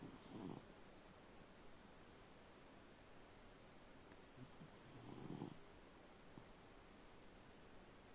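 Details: Napping elderly Shiba Inu giving two short, low snorts of snoring about five seconds apart, with quiet breathing hiss between them.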